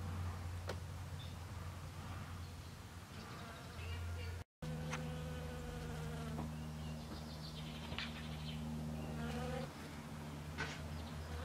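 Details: Honey bee of the western species working snowdrop flowers: a deep droning buzz that cuts out briefly, then resumes slightly higher in pitch with a richer, wavering tone before steadying again.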